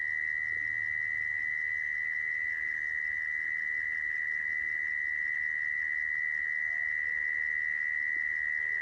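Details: A mole cricket's level, droning trill, used as a lure for trapping crickets, runs on unbroken at a single high pitch, with a quiet low hum beneath it.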